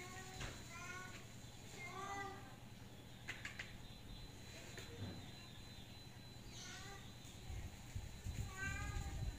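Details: Miko, a cat stuck on the roof tiles and unable to climb down, gives several faint, arching meows spread across the stretch, mixed with a person's calling voice and low background hum.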